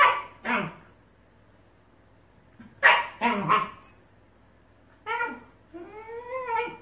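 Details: Two Shiba Inus in a vocal argument over a ball: sharp barks and rough yelps, then drawn-out, wavering howl-like moans that bend upward, with pauses of silence between outbursts.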